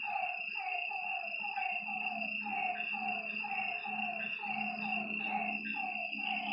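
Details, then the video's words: Frogs calling beside a lake at night, producing rhythmic, overlapping croaks in quick succession. A continuous high insect-like drone and a faint low steady hum fill the background. "Lakeside night creatures and frog sounds"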